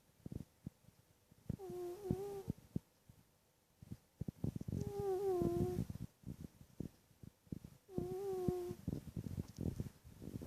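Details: Sleeping cat snoring indoors: slow breaths every few seconds, each carrying a steady whistling tone that dips slightly, mixed with soft rasping and scattered clicking sounds, three long snores over ten seconds.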